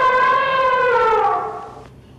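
An elephant gives a loud, brassy trumpet blast that sags slightly in pitch and fades out.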